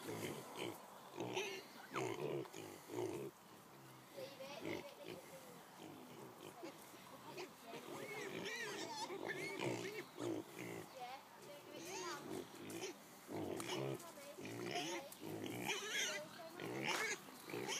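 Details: Noisy piglet making repeated squeals and grunts at an irregular pace, over a busy mix of voices and background noise.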